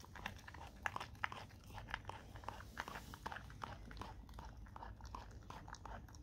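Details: Dog eating raw cow tongue indoors, with wet crunching and biting sounds coming in quick irregular bursts, roughly two to three per second, over a low room rumble.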